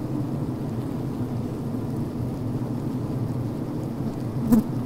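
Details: Recorded inside a healthy honey bee hive at a brood frame: a steady, low droning hum of many Western honey bees, with a brief click near the end.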